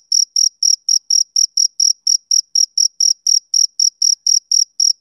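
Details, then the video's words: Soothing male cricket chirps of summer evenings: piercing, evenly spaced high pulses about four each second, each carrying a faint upper overtone, against complete silence. "Cricket Chirping Sound Effect"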